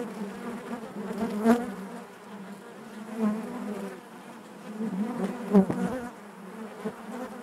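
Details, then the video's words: Honey bees droning within the hive, a thick steady hum punctuated by a few louder pulses, roughly every two seconds, from individual bees passing close. "bees therapy hive natural buzzing sound"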